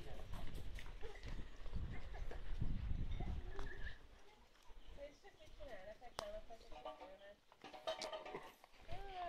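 Vizsla puppies give high, thin whines and squeaks after a few seconds of low rumbling noise.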